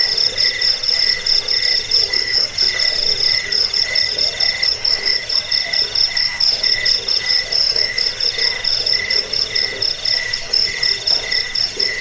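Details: Cricket sound for repelling rats, easing sleep and teaching birds: dense, shrill pulsed chirping with a lower trill, plus occasional very high ticks now and then.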